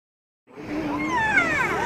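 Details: A siamang (Symphalangus syndactylus) at a zoo gives a loud, tonal, wavering whoop that swoops upward in pitch over background murmur.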